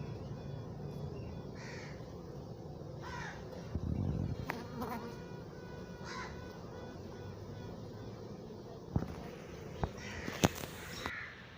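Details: A western honey bee (Apis mellifera) queen pipes, announcing a swarm, with faint tooting notes over the steady low hum of a busy hive.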